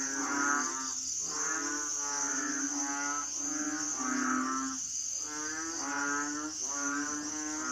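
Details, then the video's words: A chorus of Asian frogs known locally as hing. Droning, moaning calls repeat roughly every second and overlap, with a constant shrill insect hum behind them. "sound effects Asian frogs/សំឡេងហ៊ីងយំ"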